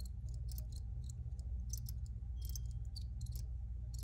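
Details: Crickets give brief high-pitched chirps in irregular clusters, several callers overlapping, over a constant deep droning hum.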